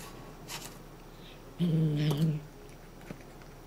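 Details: Somali cat Chouchou growls indoors to warn against losing its cat-teaser toy; one short, low rumbling growl under a second long, with faint rustling and tapping before and after.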